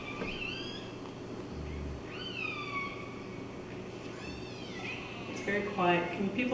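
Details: Killer whale (Orcinus orca) calls, quiet rising and falling squeals with bright harmonics over a low engine-like rumble, in a modelled demonstration of tanker noise masking the calls at the entrance to Kitimat, BC.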